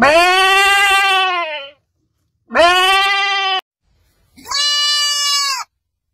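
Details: A goat in quiet mountains gives three loud, nasal bleats, each lasting over a second, with short pauses between.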